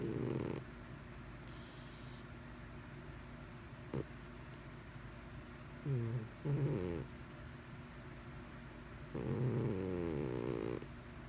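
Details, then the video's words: Pet cat named Mr Whiskers snoring while asleep, filmed for the second time; low rattling snores with harmonic, slightly rising tones come in bursts near six and nine to ten seconds, separated by quiet breathing. "Snoring Cat 2"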